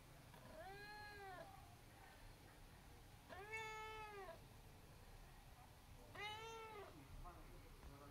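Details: Abyssinian cat meowing three times, each meow a clear harmonic-rich tone rising then falling, roughly every two to three seconds, with a quieter short call at the end and low room noise beneath.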